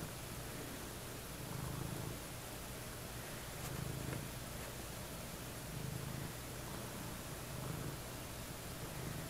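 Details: Two domestic cats resting together on a bed indoors in the early evening beside a napping person; a soft, low, rumbling purr swells in breath-paced pulses about every two seconds over a steady quiet room hiss.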